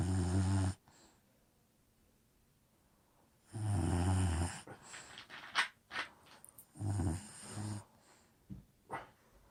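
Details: Old English Bulldog named Lucy asleep and snoring indoors: loud rumbling snores with strong low harmonics, each lasting about a second, separated by quiet breathing pauses, plus a few soft snuffles and clicks between breaths.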